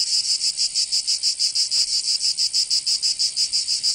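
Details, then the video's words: Cicadas in Provence, southern France, in summer: a piercing metallic buzz broken into evenly spaced throbs, about twelve pulses over four seconds, nothing else audible. "Canto Cigarra"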